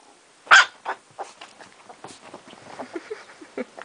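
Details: Female Chihuahua indoors gives one sharp, loud bark at the start, followed by a run of quieter short yips and snuffling sounds through the rest of the clip.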